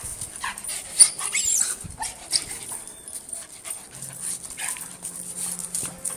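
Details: A dog being scratched makes brief soft whimpering and whining sounds over scratchy rustling, with a steady high hiss throughout.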